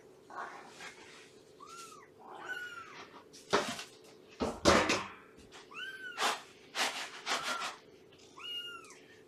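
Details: High, bending meows from a rescued cat's foster-home family at Purrfect Pals, recorded one morning in September 2017, repeating roughly every second or two and broken up by loud thumps and clattering from play indoors.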